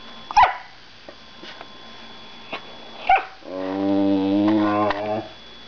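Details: Little female whippet, a black foster dog, vocalizing indoors on a freezing day: two short sharp barks a few seconds apart, then a long, deep, droning moan with clear harmonics lasting almost two seconds; a woman speaks softly in the background.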